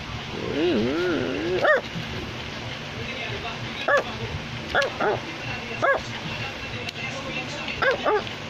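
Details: An Australian Labradoodle, a Labrador Retriever and Poodle mix, barks in short, high, yelping barks that rise and fall. About seven come in eight seconds, mostly a second or so apart, over a steady low background hum.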